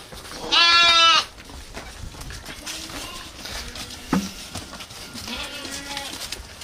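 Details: A village goat opens with a loud, quavering bleat. Fainter, shorter bleats from other goats follow further off, along with a sharp knock and steady background rustle.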